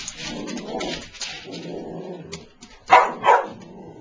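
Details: A Boston Terrier makes low grumbling noises, then gives two sharp, quick barks at a new stuffed toy mouse he dislikes.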